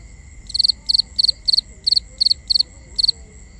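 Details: Cricket calling at night: eight evenly spaced bright chirps, each of three rapid pulses, about three per second, over steady high-pitched background insect tones and soft low noise.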